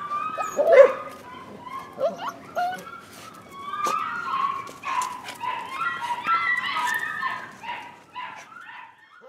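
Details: Rescue puppies, possibly a Corgi–Airedale mix, give high, thin yips and whining whimpers while a person talks to them as they go off to run and play.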